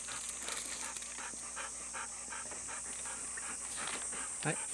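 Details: A Golden Retriever pants in the summer heat on a humid morning by a farm field. Quick, breathy huffs come about four times a second over a steady high hiss.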